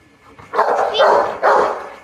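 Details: A Rottweiler, told to speak, gives two loud, deep barks about a second apart, barking because she wants to get on a swing.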